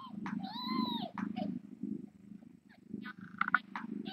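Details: Late-night live-cam sound from the Tiny Kittens Society rescue: a continuous low, throbbing purr runs underneath while a kitten gives several high, arching mews and a short squeaky cry near the end.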